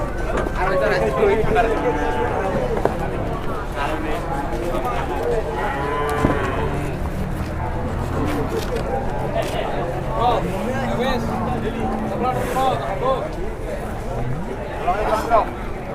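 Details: Cattle packed into an overloaded transport in Indonesia, several deep, drawn-out moos rising over a steady low rumble, with occasional human voices in the background.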